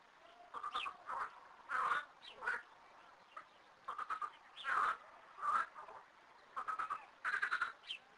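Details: Frogs, thirteen living in two small garden ponds, calling together: irregular bursts of rattling, quacking croaks, some overlapping, broken by short quiet gaps, with several voices answering one another across the ponds.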